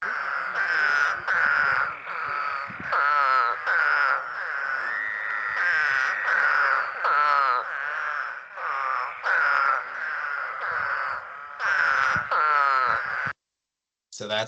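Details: Eastern spadefoot (Scaphiopus holbrookii) gives short, low-pitched, nasal grunts over and over, a bit like a bleating sheep.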